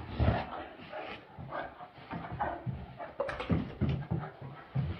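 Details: Great Danes at play indoors, with rough, breathy panting bursts and low whimpering vocalizations recurring through the clip, broad noisy energy low in pitch, and human voices chatting in the background.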